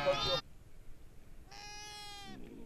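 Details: Sheep kept for rearing in the forest of Jungalmahal give a single bleat of nearly a second with rich stacked harmonics, preceded by a short burst of other sound, over low background noise.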